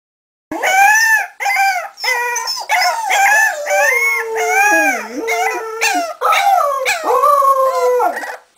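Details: A Swedish litter of Cardigan Welsh Corgi puppies, born November 2008 and about three and a half weeks old, howl together in high, wavering, overlapping tones.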